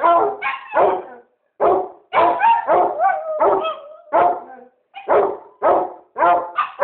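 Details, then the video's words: Barking from a basset hound and a chihuahua arrives in quick bursts of two or three sharp, loud barks, some trailing into a wavering bay, separated by short silences. "bassett hound and chiwawa barking"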